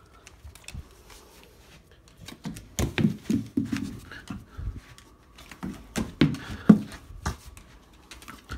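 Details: A 3-year-old female yellow Labrador Retriever makes low, throaty grumbling and moaning sounds in short, uneven bursts indoors. She seems to be trying to talk after being praised for catching her mini tennis ball.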